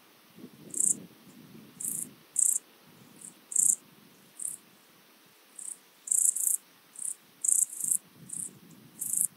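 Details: Siberian straw grasshopper (Euchorthippus pulvinatus) singing at Fülöpháza, Hungary, on 17 July 2022, picked up with an ultrasound detector: very high, short buzzy bursts, about fourteen in nine seconds at uneven spacing, over a low background rumble.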